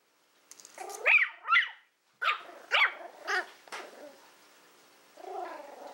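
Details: Willow, a Toy Fox Terrier female born in April 2012, playing with a pig's ear: a rapid run of high yips mixed with scuffling, ending in a lower drawn-out whining grumble.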